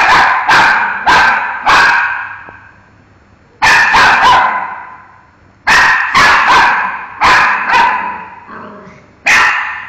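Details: Miki the dog keeps barking at a mango, a fast series of sharp, echoing barks in groups of three to four, with short gaps between groups.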